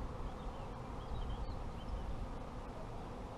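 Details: Colony of honey bees in an apiary hums in a thick continuous drone, while faint, thin bird whistles rise and fall high above the buzzing.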